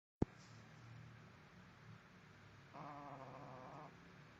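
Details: Potpot, a sleeping dog, gives one rough, harmonic snore lasting about a second midway through, after a quiet stretch of low breathing hum; a soft click opens the recording.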